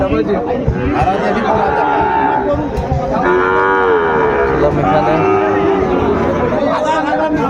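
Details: Sahiwal bull calves being bought and sold at Ambari market, Dinajpur, Bangladesh, on 23 February: repeated wavering moos, some low and some higher, overlapping through a dense crowd of talking buyers and sellers.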